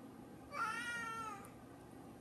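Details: A hungry cat meows indoors: one drawn-out meow of under a second, steady then gently falling, over a quiet room hum.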